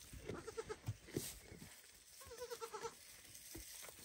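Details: Baby goat calling its mother, asking to be fed as she eats; two quavering, rapidly pulsed bleats, the first near the start and a longer one midway, with soft knocks between.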